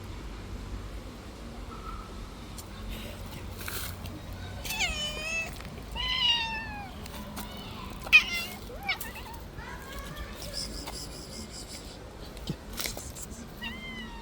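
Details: Stray street cat that played too rough and hurt a person's hand, meowing in a run of short, rising-then-falling calls between about four and nine seconds, with a few more later, over faint outdoor background noise.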